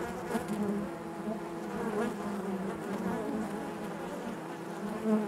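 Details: Inside a honey bee hive, a continuous low hum of many bees, even and thick, with overlapping whining tones that rise and dip slightly and a brief louder swell near the end.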